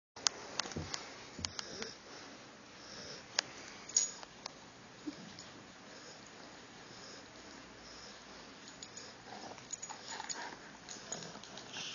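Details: A dog named Tucker corn-cobs the back of Guapo's neck with his tiny teeth. Quiet snuffling sniffs and soft, sharp clicks of nibbling come in bursts through the twelve seconds, with a few louder taps near the start and around the fourth second.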